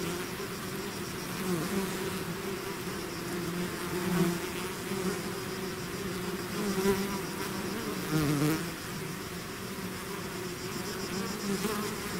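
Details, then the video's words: Honeybee swarm pouring out of its hive, a dense steady drone with bright bands low and mid, individual bees swelling louder as they pass close around four and eight seconds. "bees therapy swarm natural buzzing sound"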